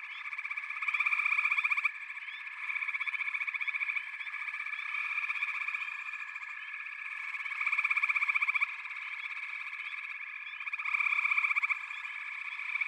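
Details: Frog chorus of many callers: a dense, continuous high trilling with layered pulsed notes, swelling into louder rattling bursts every few seconds and easing back between them, with no other sounds.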